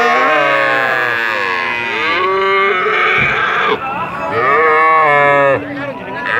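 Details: Very long cattle moos, loud and harmonic, held for several seconds with gently bending pitch, one call following another with brief breaks; some background noise between calls.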